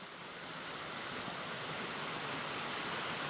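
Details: A continuous rushing hiss fills the clip, much like a stream or strong wind. No animal voice stands out from the noise.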